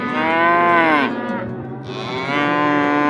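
A cow gives two long, loud moos, each a drawn-out harmonic bellow that holds steady and then falls away, with a short pause between them.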